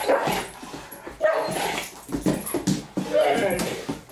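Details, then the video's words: Great Danes Milly and Izzy at play inside a house, giving rumbling growls and short yelping bursts in quick succession, with a person speaking faintly in the background. "Great Danes playing Milly & Izzy"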